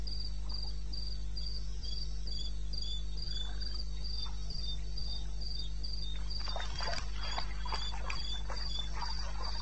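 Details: Cricket in the wilderness of eastern Botswana, recorded at 2:30 AM on 21 May 2016, chirping in a fast even train of about four high pulses a second, with a burst of crackling clicks late on over a low steady hum.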